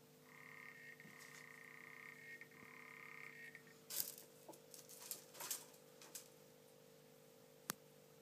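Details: African clawed frog, lately calling often, gives a steady buzzing trill for about three and a half seconds before falling silent. Scattered clicks and knocks follow over a constant low hum.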